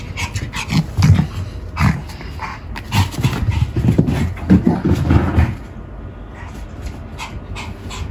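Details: A pet Pomeranian, filmed around grooming and playing with a ball, breathes in fast, harsh pants that come in clustered bursts and then fade to a quieter stretch near the end.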